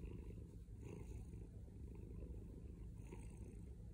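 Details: A male house cat purring loudly and steadily, a thick low rumbling drone with fine rhythmic pulses, briefly lifting in breathy swells near the start and end of a few seconds.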